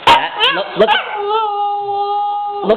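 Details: Female Husky puppy Tundra crying while her owner scolds her about a mess; short yelping syllables, then a long, steady, even-pitched howl, with the owner's voice at the start and end.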